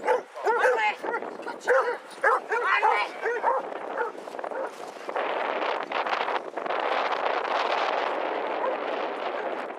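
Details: Part of a pack of 22 Basset Hounds walking in Hazlehead Park, Aberdeen, on 2 February 2014, giving a rapid run of ringing, curved barks for about four seconds, then steady rushing wind-like noise takes over.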